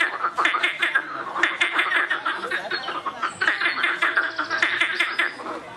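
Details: Loud frogs calling together, a dense chorus of rapid, rattling pulsed croaks repeated in quick bursts, several callers overlapping throughout.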